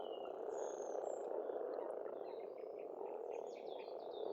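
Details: Springtime frog chorus from an Estonian pond: an unbroken, rough croaking drone from many frogs, with scattered high bird chirps and short whistled notes in the background.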